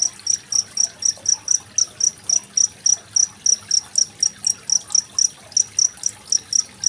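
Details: Cricket chirping, recorded 25 February 2023 as tutor material for competition songbirds such as magpie-robins. Crisp, high pulses come at an even pace of roughly four per second, with faint running water underneath.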